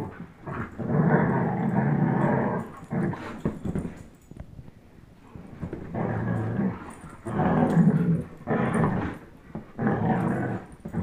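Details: Low, throaty growling from Chase, a 10.5-month-old German Shepherd, and Blizzard, a one-year-old Old English Sheepdog, during a tug-of-war game; sustained rumbling bouts of about two to three seconds separated by quieter gaps.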